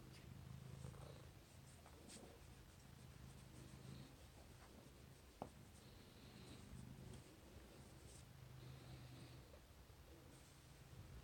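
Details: Cuddled house cat giving a faint low purr, a gentle continuous rumble rising and fading with its breathing, with light scratching and one sharp click partway through.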